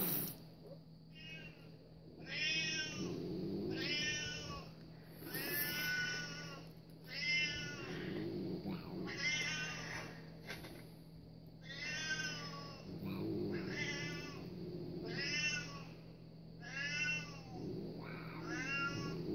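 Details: House cat reacting to cat videos, meowing over and over: about nine loud, bright, harmonic meows, each roughly a second long, repeated every two seconds or so above a steady low hum.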